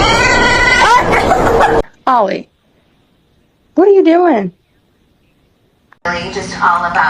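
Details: Domestic cat giving two drawn-out meows, each rising then falling in pitch with bright harmonics, separated by a second of silence; human speech comes before and after, with a brief click between.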